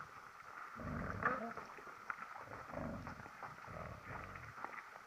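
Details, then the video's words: Deer making strange noises in the evening, recorded at 18:48: three faint, low, rough grunting bursts, each under a second long and spaced about a second apart, over a steady hiss with a faint high tone. "HIRV strange noises"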